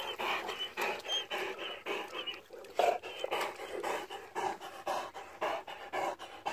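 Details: Great Dane dog, described as struggling, panting heavily: rapid, breathy, rasping huffs repeated nearly twice a second in a steady but slightly uneven rhythm.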